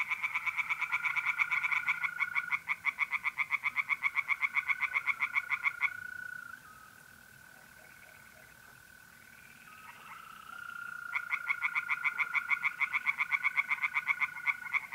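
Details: Mid-April night chorus of tree frogs at a pond in North-East Italy. Rapid pulsed croaking runs for six seconds, gives way to a continuous ringing mole cricket trill, then the frogs start again.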